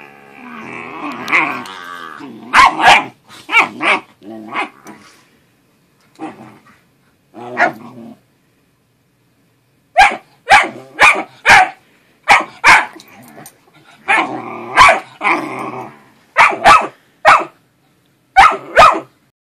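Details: Lucky, a pet dog playing with his little brother, gives sharp, loud barks in bursts, mixed with growly play vocalizations and short pauses of silence between clusters.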